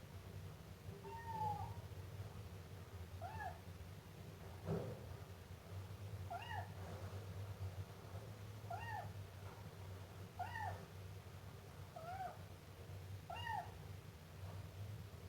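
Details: Young Siamese cat giving short, high, bent meows in small clusters, some rising and some falling, spaced a second or two apart against a constant low-pitched hum.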